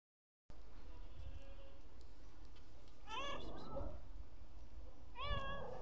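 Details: A black stray cat on the street meows twice, each a clear, harmonic, rising-then-falling cry about two seconds apart, over a steady low rumble of background noise.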